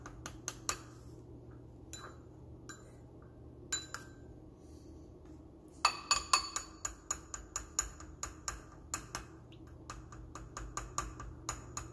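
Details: Sharp clinks of glass and cutlery ring out in bursts over a steady low electrical hum in a small indoor room.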